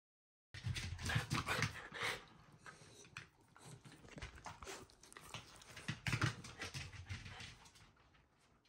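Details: Shiba Inu Ranmaru greets family members returning home, hurrying to the entrance and then dropping into a very fast sit indoors; breathy panting bursts and soft whimpers come in quick uneven runs, with shuffling and household noise.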